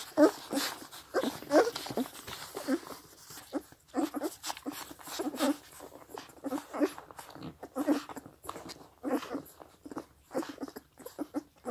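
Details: Seven 16-day-old Scottish Deerhound puppies suckle milk from their mother with soft wet smacks, slurps and clicks, mixed with a few thin squeaky whimpers; there is slight background noise.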